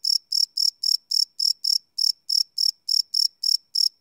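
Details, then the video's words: Nighttime crickets, live field recording with a Sony PCM D100: sharp high-pitched chirps repeated rapidly, roughly thirteen in four seconds, with a small gap partway through. "Cricket Chirp Sound - Cricket Sounds at Night"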